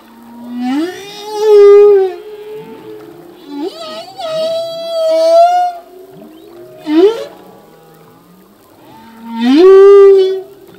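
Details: Humpback whale male in song, its phrases learned anew each year: long upswept wails with bright overtones, a drawn-out level moan midway, and loud rising cries near the start and end, separated by softer grunts.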